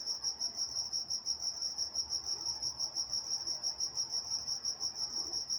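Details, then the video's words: In Walnut, California, crickets chirp through the night with a bright, even pulsing trill repeating roughly three times each second over a quiet backdrop. "Nature Sounds Night Time Crickets in Walnut, California"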